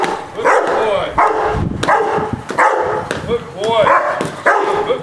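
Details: Rottweiler in its first object-guarding exercise, defending an object against a decoy with the owner close by. Rough barks come in uneven volleys, mixed with a man talking loudly over them.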